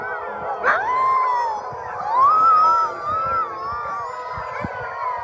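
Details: Several Greenland dogs in Ilulissat, Greenland, calling while waiting for their owners, howl together in long notes that rise and fall, with one clear voice rising above the chorus before easing off.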